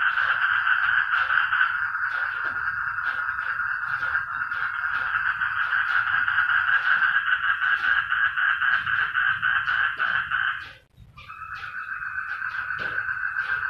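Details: Frogs making noise together: a loud, fast-pulsing, buzzy chorus runs without pause for about ten seconds, falls nearly silent for a moment, then starts up again at slightly lower intensity.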